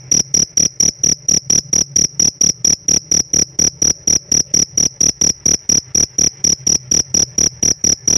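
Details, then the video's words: Kept as a household pet, a cricket produces high ringing chirps in a steady rhythm of about two pulses per second, clean and loud over faint background hum. "Suara ngerik nya istimewa"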